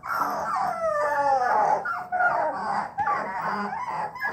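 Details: Three-week-old bluetick coonhound puppies, just starting to bawl, give high, wavering, overlapping howls together.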